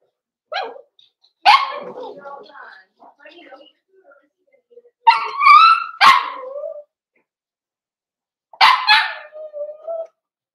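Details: Cavalier King Charles Spaniel puppies in a home puppy pen, meeting several bigger household dogs for socialization, 13 December 2022. Several short high yips and wavering, harmonic whines come in bursts with quiet gaps between them.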